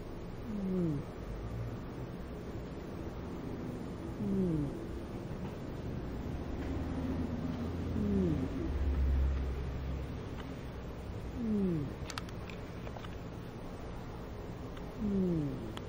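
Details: Audrey, a pet cat with a blocked nose left over from a cold she had when adopted, snoring in her sleep at home: a low, rough breathing rumble with a short, falling nasal whistle repeating about every three to four seconds.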